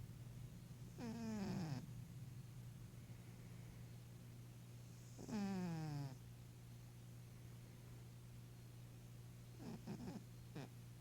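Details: Old Maine Coon cat, an 11-year-old female, snores in her sleep while dreaming: two drawn-out, whiny downward-sliding breaths about four seconds apart, then a few short snuffles, all over a low steady hum.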